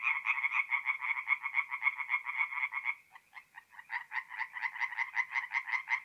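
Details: Several tree frogs calling by night at a forest pond, north-east Italy, in mid-April: rapid rattling croaks, a brief lull near the middle, then crisp pulsed calls resume at a quick steady pace.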